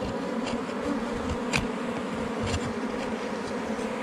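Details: Wild honey bees at a hive under rocks in the forest during honey hunting. A steady, dense droning hum with a low tone and a higher overtone, broken by a few brief rustles and taps.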